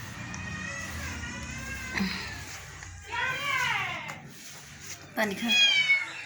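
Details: Domestic cat meowing while being coaxed to eat rice, drawn-out arching meows around the middle and end, mixed with a person's Bengali speech and faint music.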